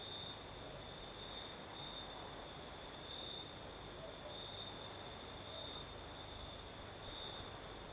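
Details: Steady high cricket trilling on a breezy night in the south of Crimea, unchanging for the whole stretch, with a higher pulsing layer and low wind rumble.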